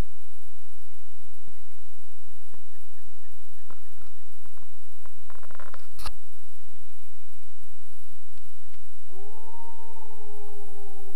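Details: In the Boundary Waters Canoe Area Wilderness, a lone gray wolf howls while people fish: after quiet rustling and a few knocks comes a long, sustained howl, smooth and even on one pitch, sagging gently lower at the end.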